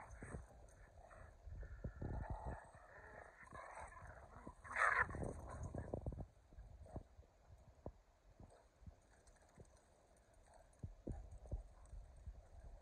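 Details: Two pet dogs, Kumo the Keeshond and Sully the Boston Terrier, in a rough game of tug; a short, loud, harmonic vocal burst midway, set among low thumps and scuffling play noises.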